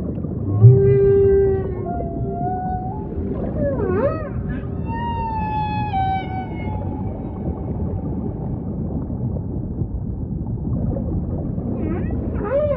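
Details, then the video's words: Humpback whale song: drawn-out harmonic moans held steady, then a deep swooping dip and rising upsweeps, with a final high squealing upsweep near the end, all over a constant low underwater rumble. "Majestic Whale Song · beautiful humpback & ocean ambience"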